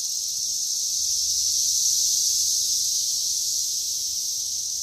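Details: Brood XIII 17-year periodical cicadas, mostly Magicicada cassini with a few M. septendecim, mate and lay eggs on a green ash in Wheaton, Illinois, on May 31, 2024: a continuous, high, hissing buzz from a dense singing chorus.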